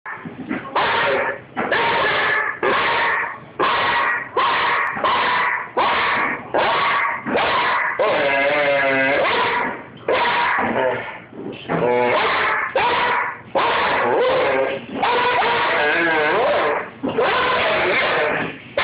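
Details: Foxy, a female Doberman puppy almost 10 months old, throws a tantrum with a steady run of loud, harmonic whining yowls, each lasting under a second and repeated in quick succession, with a longer wavering moan near the middle.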